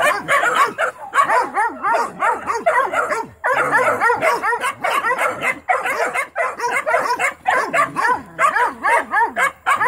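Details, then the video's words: Mountain Cur pups in training bark at a young raccoon held in a trap, several dogs yipping and baying in rapid overlapping bursts with arched rising-falling calls, brief pauses between volleys. "Original mountain curs pups getting some training and barking time in on a young coon"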